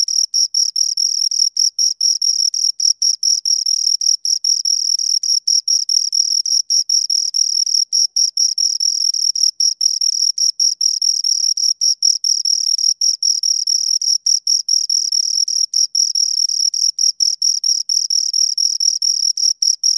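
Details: Two crickets rubbing out an unbroken stream of high-pitched chirps, dense rhythmic pulses with only fleeting gaps, constant volume over twenty seconds, a clean recording without other sounds.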